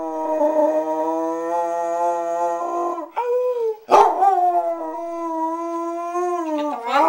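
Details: Samantha, a Basset Hound, howls in long sustained harmonic-rich tones that hold steady, dip and break briefly near the middle, then resume with wavering pitch before rising sharply at the end.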